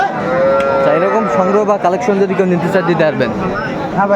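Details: Cow offered with her calf at Aftabganj market, Dinajpur, 1 September 2024. She lets out a raised, wavering moo over the steady murmur of people talking around the livestock.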